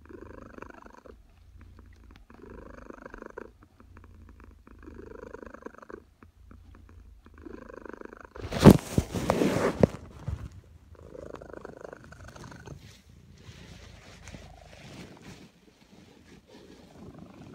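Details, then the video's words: Napping house cat in suburbia purring in the afternoon; even, repeated purr phrases about every two seconds, broken midway by a brief loud rustling burst before the purring resumes. "Cat Purring During her Afternoon Nap in Suburbia"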